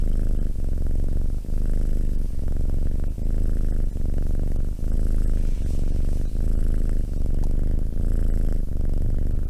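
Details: Domestic cat purring close by, a deep steady rumble that swells and dips with each breath, about once every second, continuing without break and with nothing else audible.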